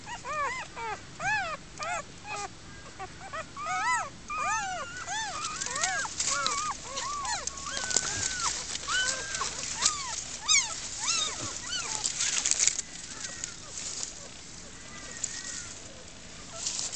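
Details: Newborn German Shepherd puppies in a den dug under foliage and a mattress frame, with their first-time mother, whimpering and squealing constantly in rising-falling arched cries, several pups overlapping, with rustling and a person's voice nearby.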